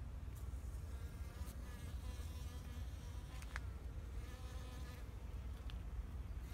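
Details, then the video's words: Spring bees working flowers in a Japanese garden, a continuous humming buzz with faint layered overtones rising and falling as they fly close, set against a low rumbling background and a few brief clicks. "Sound of Bees in flower garden"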